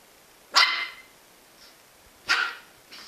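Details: Jack Russell Terrier giving two sharp, bright barks about 1.7 seconds apart, each brief and clipped, in an otherwise quiet room, with a faint third sound at the end.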